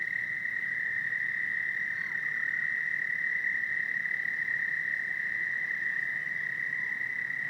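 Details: A loud chorus of toads at Lake Hiawatha, two blocks from homes, blends into one steady, high, buzzy trill that never lets up.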